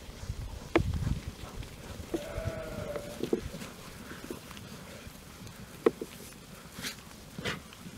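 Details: Young Jura sheep about twelve months old, with the breeding ram in the flock for a few days; the young ewes spend nights in the stable and days on pasture. A single steady, drawn-out bleat lasting about a second, amid thumps, rustling and sharp clicks.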